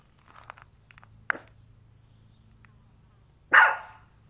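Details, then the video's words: Boston Terrier puppy learning to bark on command; after quiet ticks and faint thuds, one short loud bark arrives near the end, with a steady high electrical whine throughout. "Learns How To Speak / Bark"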